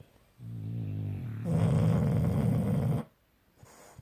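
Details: Snoring from Bus and Kat, two sleeping pet dogs: a low, tonal, humming inhale swells into a louder, harsher rattling snore lasting about a second and a half, then stops abruptly into near silence.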